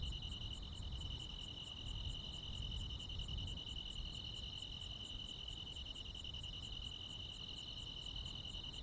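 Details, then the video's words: Crickets and other insects calling on a midsummer night in the Korean countryside: a steady, shrill, high-pitched trill in two close bands, with a faster, softer ticking pulse repeating high above it, over a low rumble. "시골 야간 귀뚜라미, 벌레 소리"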